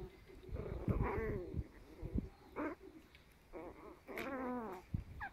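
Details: Ten-week-old Chihuahua puppies playing together: several short, wavering, whiny growl-yips, each harmonic-rich and rising then falling, in bursts about a second long, mixed with soft thumps and scuffling.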